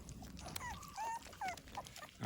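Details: American Pit Bull Terrier puppies during their morning feeding routine, giving a few faint, high squeaky whimpers that bend up and down, broken by short pauses, with a man talking in Malayalam nearby and light handling noise.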